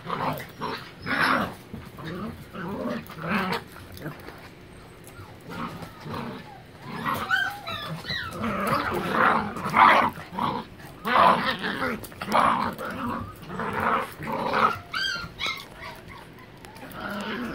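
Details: Three Miniature Pinschers play-wrestling together on a living room floor, giving low rumbling growls in irregular bursts about every second or two, mixed with snarly grunts, with human voices talking in the background.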